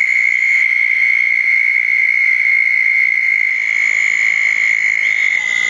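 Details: Southern toad chorus at small garden ponds after a June 2014 thunderstorm at night: a continuous, even, high-pitched trill holds for the whole stretch, with faint higher buzzing over it.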